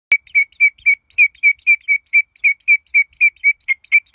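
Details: Pseudophyllus titan, a huge katydid, giving a clear, high whistled note repeated rapidly about four times a second in an even, steady series, with no other sounds.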